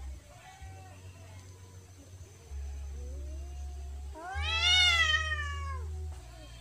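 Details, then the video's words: Persian cat and village cat fighting in a garden in Indonesia: a long, loud, harmonic yowl rising then falling over about two seconds, preceded by softer wavering moans and a low steady hum. "Kucing Persia vs Kucing Kampung bertengkar di kebun | cat fighting"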